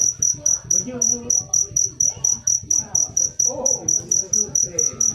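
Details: Cricket known as jangkrik manis producing loud, clear, high chirps spaced evenly about three to four per second, with quiet voices and muffled sounds behind.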